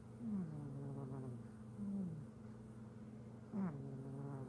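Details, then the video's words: Simba, a pet cat, snoring in his sleep: soft, low, droning breaths, each ending in a short falling tone, plus one brief upward whistle near the end, over a faint steady indoor hum. "Snoring cat"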